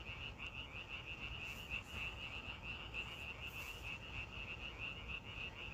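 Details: Outdoor frog calling, many rapid high-pitched croaks strung together at roughly three per second, uneven in rhythm, with a soft steady rumble behind.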